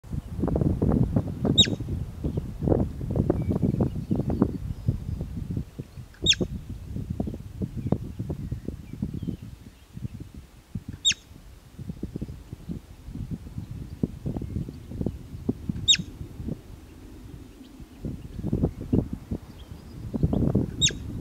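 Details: Bobak marmot, or steppe marmot: short, sharp high whistles, each a brief downward-sliding note, repeated five times about every four to five seconds over steady low rumbling wind noise.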